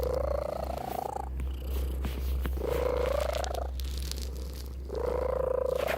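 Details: Domestic cat purring as a steady low rumble, with three rising tonal sweeps lasting over a second each.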